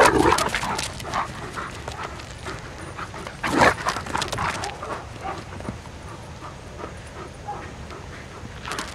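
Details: Four female Irish Wolfhounds at play on a morning walk; short harmonic yelps break out near the start and again around the middle, amid scuffling, rustling and panting-like noise with a steady background hiss.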